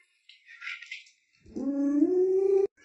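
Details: Pet Alaskan Malamute Lolo breaks into a short howl that swoops up and then holds a steady, slightly rising tone for about a second before cutting off, preceded by faint hissy household sounds.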